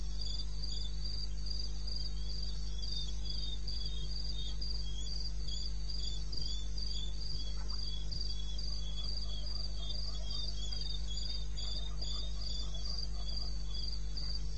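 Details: Night chorus of crickets in wild eastern Botswana, recorded at 02:30 on 21 May '16. High, shrill pulses repeat rapidly and evenly throughout, with a softer second chirp line below and a steady low-pitched background drone.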